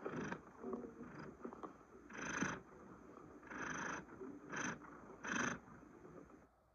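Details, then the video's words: Chocolate the cat purring: breathy, rasping bursts about half a second long, returning roughly every second, separated by quieter gaps, with no other clear sounds. "THE SOUNDS CHOCOLATE THE CAT PURRING"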